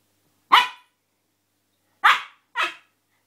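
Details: Playful Siberian Husky puppy Angel, gone daft indoors, lets out three loud, harsh barks, the first alone and the last two close together.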